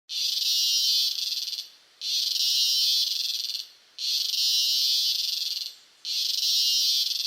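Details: Close-up recording of a cicada in Costa Rica giving loud, high, rasping buzzes, each lasting almost two seconds with brief pauses between.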